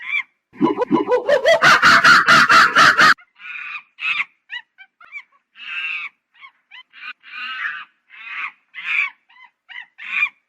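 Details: Monkey starting with a rising call that breaks into a fast, pulsed screaming series lasting over two seconds, followed by scattered raspy squawks and short squeaks.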